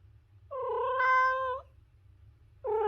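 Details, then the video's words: One long, full meow of just over a second, steady and slightly bending upward at the close, then the start of another; a cat from a compilation of funny cat sounds, low hum behind. "The Ultimate Cat Meowing Compilation"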